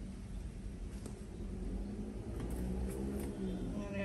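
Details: Faint murmured speech over a constant low traffic rumble, with a few soft clicks.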